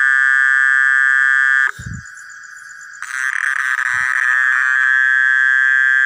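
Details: Mole cricket in a village at dusk, its continuous piercing ringing trill running unbroken, briefly overlapped by a second buzzing tone, with two soft low thumps in the middle.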